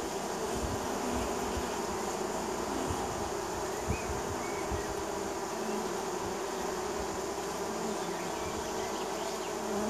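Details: Swarm of honey bees landing at a neighbor's hive in springtime; a thick, even hum of many insects buzzing together, with individual wingbeat passes rising and falling.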